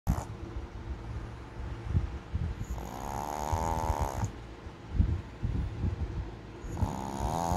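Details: A Boston Terrier snores with deep, rumbling breaths and a wheezy, whistling edge on some breaths; the owner thinks it is dreaming of eating.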